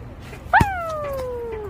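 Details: Pet poodle greeting: one drawn-out tonal whine that starts abruptly and slides steadily downward for just over a second, over low background hum.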